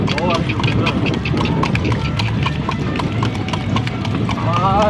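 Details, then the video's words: Horse pulling a cart after dark, brisk clip-clop of hooves over the rumble of the cart, with a human voice speaking at the start and again at the end. "Clip Clop Sound effect. // Night time horse cart ride."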